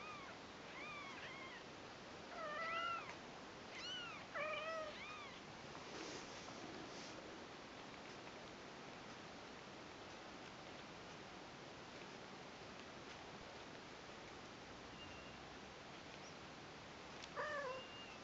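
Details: Newborn Persian kittens, a brother and sister, on their first day with their mother: thin, high mews rising and falling in short bursts, several in the first five seconds, then steady hiss-like background noise and one more mew near the end.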